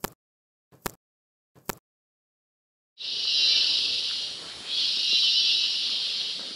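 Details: Three sharp clicks, then a very loud, high-pitched cicada buzz droning steadily, fading briefly and swelling again in two long pulses, at the start of a hike at Mistico Hanging Bridges Park, La Fortuna, Costa Rica.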